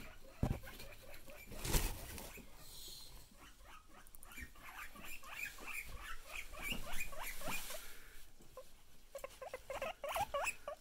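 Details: Pet guinea pigs wheeking excitedly when they see their owner: rapid runs of high, squeaky, rising squeals, one burst in the middle and another near the end, with rustling and a few dull thumps between.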